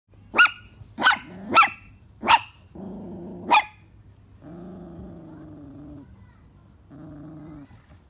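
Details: Dog on its morning patrol of the perimeter after finding a stray cat: five sharp barks in quick succession over about three seconds, followed by low rumbling growls in two long stretches.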